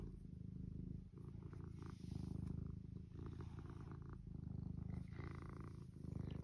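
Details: Eric, a pet cat, purring loudly while being admired as soft; deep continuous rumble with fast, even pulses and a rhythmic inhale-exhale swell, faint licking noises above.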